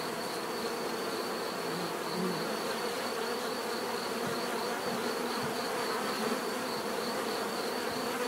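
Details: Natural buzzing of bees: continuous overlapping wingbeat hum, individual insects droning past now and then, with a thin wavering high whine above the steady swarm noise.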